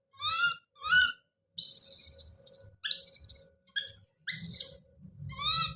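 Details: Young monkey Don gives two rising cries, then bursts into shrill, sustained high screams broken into several outbursts, ending with softer rising calls and some low rustling.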